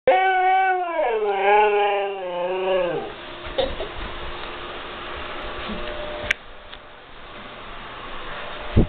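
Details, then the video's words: A Siberian Husky howls at thunder, a wavering, yodel-like howl that slides downward in pitch, then falls quiet. "Siberian Husky Howls"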